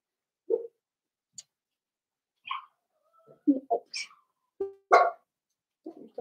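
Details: Playful, irregular yips, squeaks and small barks come from a pen of five blenheim Cavalier King Charles Spaniel puppies born at New Year's. Some are high and thin, others lower and rougher, with a loud burst near the middle.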